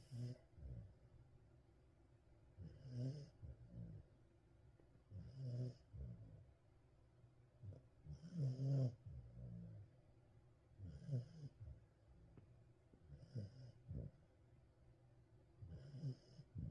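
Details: Welsh Corgi asleep indoors, snoring in low, rumbling breaths roughly every two and a half seconds, each snore with a faint raspy hiss, in an otherwise quiet room.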